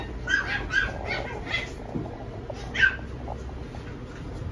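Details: A male Scottish Fold kitten with a baby face gives a quick run of thin, high mews, then one more after a pause.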